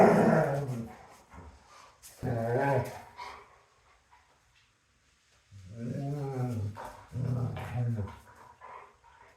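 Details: Female German Shepherd grumbling and whining while wrestling with a male German Shepherd: four or so deep, throaty, drawn-out moaning growls, each under a second, with brief pauses between.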